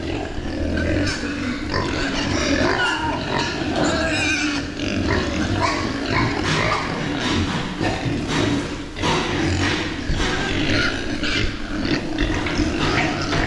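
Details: Meat pigs raised on a farm make a continuous, dense din of overlapping grunts and squeals from several animals. The sound is steady and noisy across the whole stretch, with no clear pauses.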